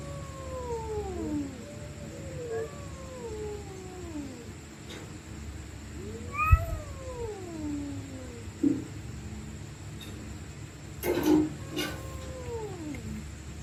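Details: Stray cats screaming and fighting at night: long wavering yowls sliding up and down, overlapping drawn-out moans, a sharp rising howl near the middle, then brief clattering bangs toward the end over a low background hum.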